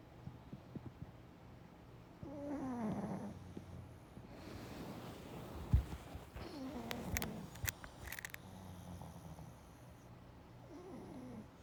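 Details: Napping Pug snoring: a descending, whistly breath sound that comes back at intervals, broken by sharp clatters and rustles near the middle.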